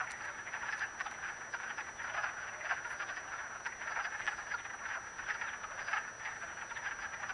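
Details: A chorus of wood frogs mating in a vernal pool at Acton, Massachusetts, on 18 March 2010, gives dense, duck-like clucking calls that overlap continuously.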